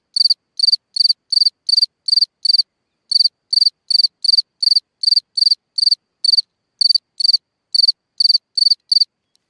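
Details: A night-time cricket chirping from a hole in the ground gives rapid high pulsed chirps in even runs, broken by short pauses near three and six seconds, with no other sounds.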